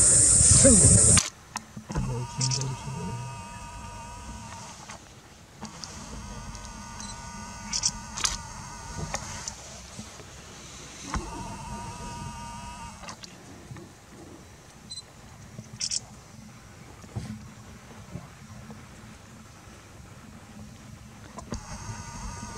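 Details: Golden jackal (Canis aureus) in Kanha National Park, Central India, giving drawn-out, wavering wails in long bursts, with faint human voices.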